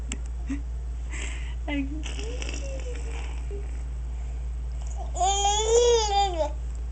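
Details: After his bath, the dog TJ gives a strange, gurgling-sounding noise. Scattered faint sounds are followed by one strong, wavering, arched whine of over a second near the end.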